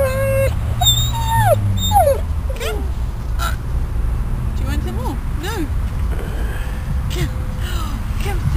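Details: Uncomfortable dog just out of intensive care at a veterinary hospital, visited outdoors on grass in the afternoon, whimpering with short high whines that bend up and down, interspersed with human speech and low background hum.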